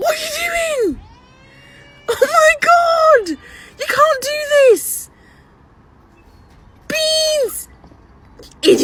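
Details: Domestic cat calling indoors: four long, insistent meows, each climbing and then falling away, spaced roughly two seconds apart with quiet pauses between, and a faint click at the end.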